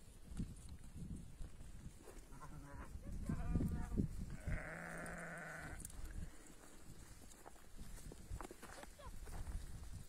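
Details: Sheep from a flock of 40 ewes with 20 male and 23 female lambs in Tiaret, Algeria; one drawn-out, harmonic bleat lasting about a second, with trampling, rustling and low handling noise around it.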